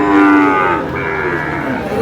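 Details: Sahiwal bull at a cattle market in Noakhali, Bangladesh, bought by a farmer: one loud, low drawn-out moo, steady then sliding, followed by a softer trailing bellow with market chatter behind.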